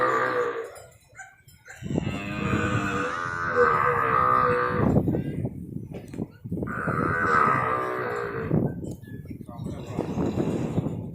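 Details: Calves being handed over at a farm in Nong Bua Lamphu province, Thailand, 17 head in all: two long, loud, wavering moos a few seconds apart, with rustling and handling noise between them.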